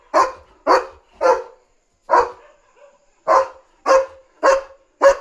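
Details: German Shepherd guarding at night, barking loudly to warn of a dog outside: three quick barks, a single bark after a short gap, a brief pause, then four more evenly spaced loud barks.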